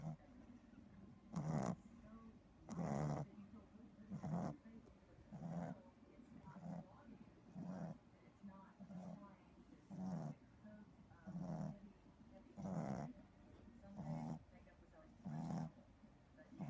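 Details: A sleeping 3-month-old Boston Terrier puppy snores loudly, low rasping breaths repeated roughly every one to one and a half seconds, each a short rough burst with quieter gaps between.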